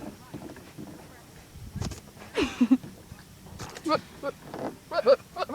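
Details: Goat giving odd, funny noises: a wavering, nasal bleat mid-way, followed by several short, honking grunts, over faint background chatter.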